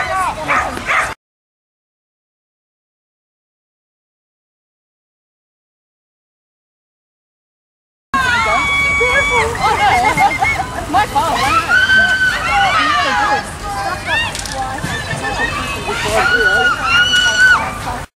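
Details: Working Border Collies, dogs that love to work, give rapid high-pitched yips and barks in excited bursts after a long silent gap. People talk and applause rises around them amid crowd noise.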